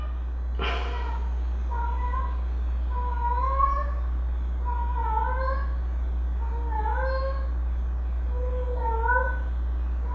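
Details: White and black pet cat meowing at a window, a drawn-out sound likened to a cow's moo; about six long, rising-and-falling meows spaced every second or two over a steady low hum, after a brief click.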